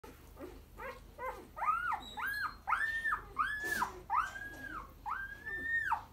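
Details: Newly arrived Boerboel puppies. After a few soft, low yelps, a run of about six loud, high whining cries follows, each arching up and then falling, spaced roughly half a second apart.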